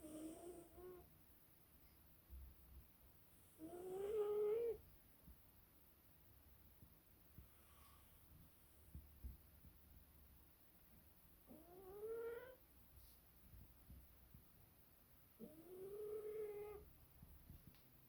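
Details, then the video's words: Sara, a sleeping British Shorthair cat, snoring indoors: three soft, nasal, slightly rising droning snores spaced irregularly several seconds apart, with quiet breathing between them in a small room. "Кошка ХРАПИТ"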